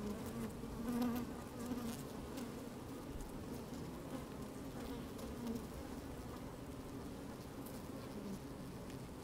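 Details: Honey bees working inside an open hive on a fine sunny day, microphone slid down among them: a steady dense hum around 250 and 500 pitch bands, with occasional louder buzzes near the first second and soft clicks of movement.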